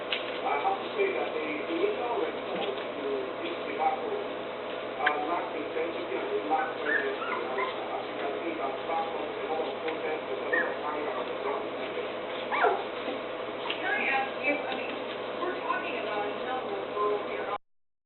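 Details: Puppies two and a half weeks old, eyes newly open and beginning to walk around, giving a continuous chorus of soft overlapping whimpers and squeaky yips, with a steady low hum underneath throughout.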